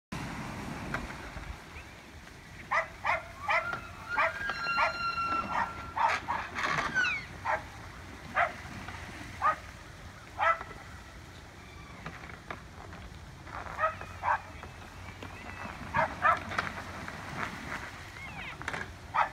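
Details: Elk fighting in a street in Evergreen, Colorado, on October 19, 2018: thin, high whistled notes with faint overtones rise and hold, mixed with sharp clacking bursts at irregular intervals over a low steady rumble.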